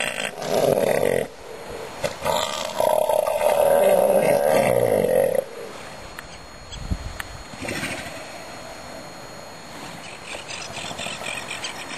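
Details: Southern elephant seal bull roaring among houses at South Georgia in early spring, with winter snow leaving the hillsides; two long loud guttural bursts, the second about three seconds long, then quieter background.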